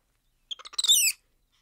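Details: Black-handed spider monkey making a short series of quick stuttering chirps that run straight into one loud, shrill, wavering squeal lasting about a third of a second, then silence.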